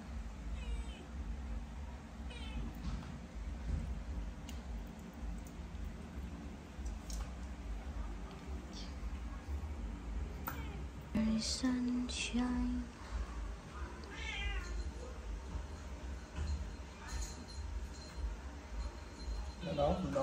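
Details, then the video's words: Cats in Cambodia, unhappy about vitamins and attempting to get away; short meows in a quick cluster midway, more faint mewing after, with handling clatter, brief speech and low hum throughout. "All my cat Not happy and try to run away from me, when I give the Vitamin to them! FTC Meow"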